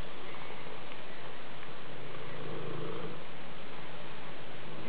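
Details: Maine Coon cat giving a deep continuous purr that swells slightly toward the middle.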